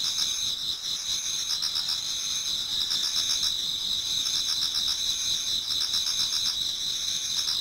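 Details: Many autumn insects singing towards dawn in a Japanese garden: a dense, steady high-pitched trilling with two bright bands and fast pulsing beats layered throughout, no other sounds standing out.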